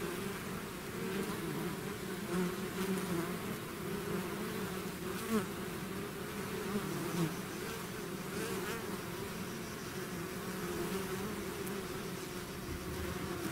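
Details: Natural buzzing of a bee swarm leaving its hive: steady humming drone with stacked harmonics, punctuated by short brighter whooshes as single bees fly close past.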